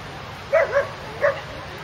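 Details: Neapolitan Mastiff at breed judging, Warners Bay Sports Dog Club, NSW, 29 June 2013: two quick mid-pitched barks, then a third after a short pause, over a steady hum of indoor background noise.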